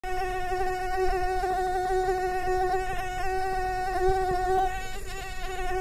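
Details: Mosquito in flight, a steady droning whine with a low hum and a ladder of even overtones, holding nearly constant pitch with slight wavering throughout.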